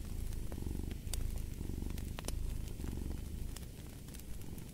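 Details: Cat purring steadily beside a fireplace: a deep, rumbling low purr pulsing several times per second in long even waves, with sharp crackles and pops from the burning fire scattered throughout.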